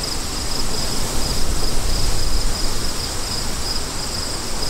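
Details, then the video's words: Crickets in a steady high-pitched chorus, their pulsed trill repeating in quick, regular bursts over a loud, constant low roar of wind. "Crickets & Wind For DEEP SLEEP"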